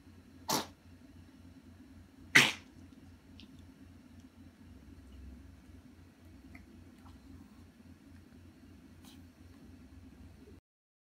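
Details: Indoor dog on a hot carpet, choking suddenly while pestering another pet that is warming itself there. Two sharp, explosive sneeze-like bursts come about two seconds apart, then quiet room hum with a few faint clicks.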